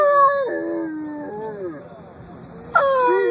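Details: Bruce the dog in a drawn-out howl that steps down in pitch, fades into a softer wavering tone, then a sharp high-pitched onset starts a new howl near the end; another voice may blend in.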